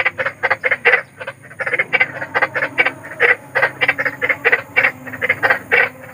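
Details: Big frogs calling in nature at night, a dense chorus of short harsh croaks, several per second, overlapping in an irregular stuttering rhythm with a faint steady hum beneath.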